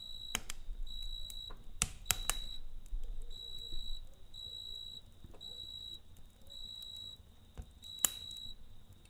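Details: Crickets at night beside a campfire: pulsed, high chirp bursts of about half a second repeat in loose series, while loud crackles and pops from the fire and a low rumble of flames sit underneath.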